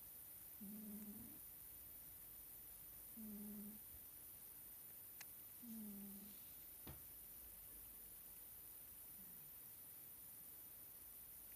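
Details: Sleeping Scottish Fold cat Nelsik snores indoors: three low, buzzy snores about two and a half seconds apart, then a fainter fourth, with a couple of sharp clicks in between.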